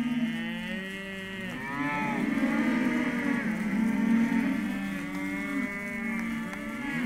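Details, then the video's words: Male and female Hereford calves at a livestock sale lot, a chorus of long overlapping moos rising and falling in pitch, one sustained call after another with no pause across the whole stretch. "Terneros/as Hereford"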